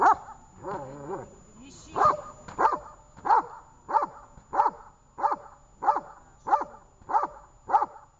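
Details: Dog called Tash during a training session in Horlivka on 18 August 2019, barking in a steady series of sharp, mid-pitched barks about every two-thirds of a second, with a person's voice at the start.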